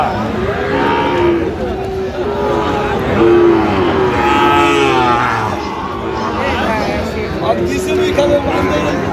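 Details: Sahiwal bull calves at a cattle market in Comilla, Bangladesh, on 13 November 2025: long, steady low moos overlap one another, set against constant crowd chatter and voices.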